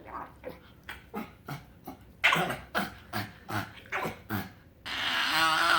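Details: Frank, a pet pug, sounding off when happy: a steady train of about ten rhythmic snorting grunts, roughly four a second, ending in a loud rushing noise with a warbling whine.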